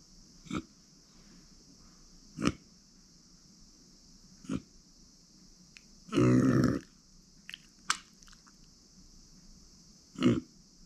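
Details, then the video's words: Pet micro pig Uni, a female born September 2020, makes soft brief grunts about every two seconds, one louder drawn-out grunt in the middle, and scattered clicks, against a continuous high hum. "ブーブーなく マイクロブタ"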